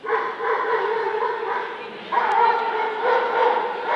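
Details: Dobermann at the Scottish Dobermann Club championship show 2012, Limit Dog class, gives loud, rough barks that run almost without pause, with a sharp jump in strength just past the two-second mark.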